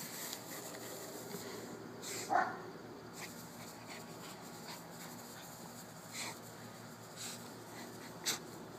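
A Boston Terrier gives a single short, sharp bark against a quiet background.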